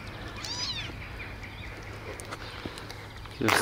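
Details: Baby kittens outdoors, eating homemade cat food pâté for the first time: one brief rising-then-falling harmonic meow early on, followed by quiet background with soft ticks and a louder rustling burst at the end.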